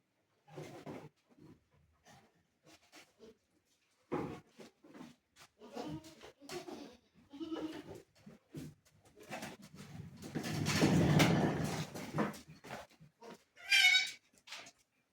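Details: Black Bengal goats at a goat farm in Bargarh, Odisha, give coarse, harmonic bleats. A long, loud bleat swells near the end. People talk in between, and a brief high chirp cuts in just before the close.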